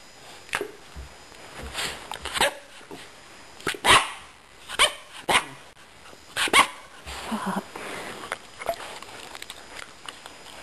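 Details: A female Akita Inu puppy in "speak" training gives short, sharp, high-pitched barks and yips on command, spaced irregularly.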